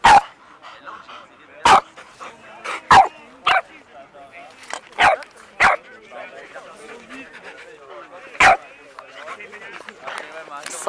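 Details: During a playful first meeting, an Alaskan Malamute and a four-month-old Boston Terrier puppy trade short, sharp barks at irregular intervals, about eight sharp barks with quieter yelps and whines between them.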